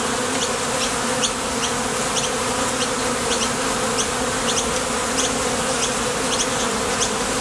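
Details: Honey bees at the entrance of a Top Bar Hive, foragers leaving for the field after nectar and landing back, their thoracic muscles vibrating: a dense, steady low hum with faint high chirps repeating in the background.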